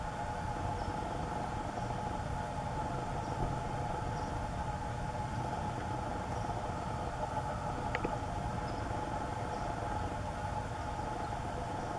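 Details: Steady low engine rumble, like a passing vehicle or train, with no animal calls heard.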